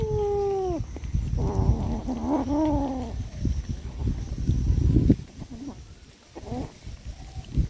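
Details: Domestic cats, four in the household, calling while being fed: a long falling meow, then a run of wavering, drawn-out harmonic meows, followed by shorter, quieter mews over low thumps and handling noise.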